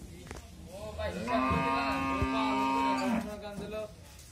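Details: A Friesian dairy cow, one of a pair of pregnant cows kept on a family farm, lets out a single long, steady, nasal moo of about two seconds; a man speaks briefly just afterwards.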